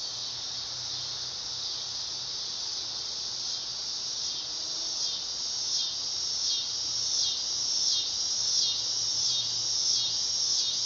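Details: A dog-day cicada (Neotibicen canicularis) sings a steady, high-pitched electric buzz that swells and pulses slightly throughout, in summer.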